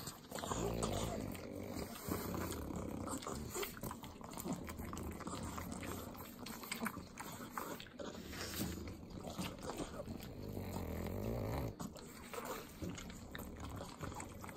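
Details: Trio of pug dogs eating butter in Southern California: steady wet lapping and sloppy chewing clicks mixed with deep snuffling snorts and grunts, a louder snort passage around ten seconds.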